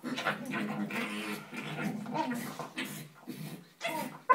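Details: Two Staffordshire Bull Terrier puppies playing give a run of short, throaty grumbles and whimpers rising and falling in pitch, in uneven bursts with brief pauses between them.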